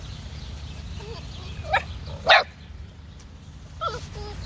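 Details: Silver Labrador Retriever puppies: a few short, wavering high whimpers, then a sharp yip and one louder bark near the middle, with a final rising-falling whine over a steady low background rumble.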